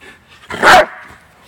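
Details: A single sharp, loud bark from a deaf male dog, taught to potty on cue, just before a car ride. One short burst, with quiet room sound before and after.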